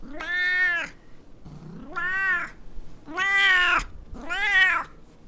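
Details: Four long, insistent meows from the pet cat Rosalie follow one another about a second apart, each loud and rich, rising then falling; recorded indoors with a Zoom H4N.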